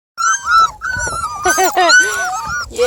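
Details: Five-week-old Beagle puppies, very vocal and active after a meal of kibble and raw food, give high whiny yelps and squeals with arching, slurred pitch, several voices overlapping in quick succession.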